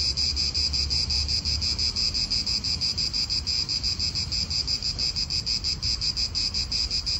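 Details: A shrill cicada drone in an Italian park, steady and high with a rapid regular throb. A soft low murmur of wind or distant traffic sits beneath it.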